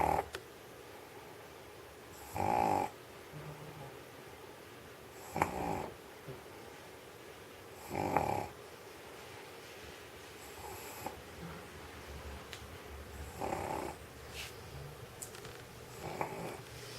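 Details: Old stray dog in Sheregesh asleep on a warm studio floor after eating sausage; rough, breathy snores come in regular bursts about every two and a half to three seconds, with quiet breathing between them in a still room.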